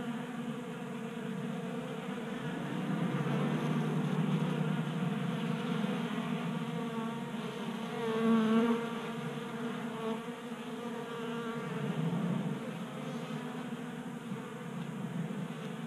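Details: Honey bees feasting from a 3D printed feeder in a Colorado garage, January warmth keeping them active; dense buzzing swarm hum that rises in loudness mid-clip as a bee passes close, then settles.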